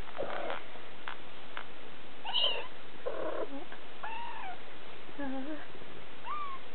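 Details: Siberian kittens three weeks old, July 2008, giving several thin, high, short mews scattered over a few seconds, some rising then falling, against a steady low background hum indoors.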